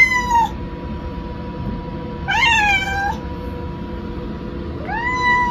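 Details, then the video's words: Indoor pet cat Maple calling when left outside the rest room: three clear meows, the middle one long and wavering, the last rising sharply, separated by quiet gaps with a constant background hum. "I went to the rest room without Maple's permission this happens"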